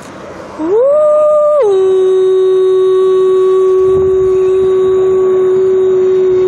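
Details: A grey wolf in Montana gives a long howl, rising briefly and then dropping to a long, steady lower note.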